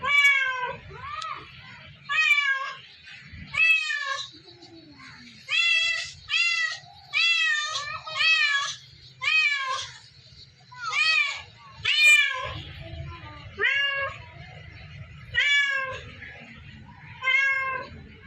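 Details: Domestic cat giving a long run of loud, harmonic meows, each a short wavering wail, coming about once a second with brief pauses. A faint low rumble sits underneath throughout.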